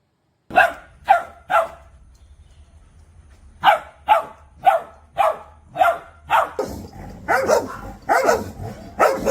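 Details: Puppy barking at the camera or an off-screen sound: three quick sharp barks, a pause, then a steady run of barks about every half second, growing rougher and more overlapping at the end.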